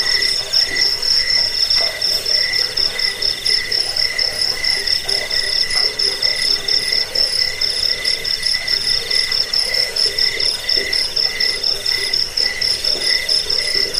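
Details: Long run of cricket song meant to repel rats, help sleep and serve as bird-training material; very high, metallic pulsed chirps repeat about twice a second in a thick, even chorus with a softer lower tone underneath.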